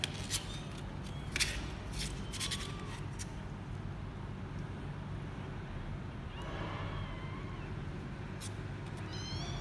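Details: A former stray mother cat in Cambodia grooming and nursing her 15-day-old kittens, recorded 15 January 2020; several thin, high rising kitten mews, scattered clicks and rustles over a steady low hum.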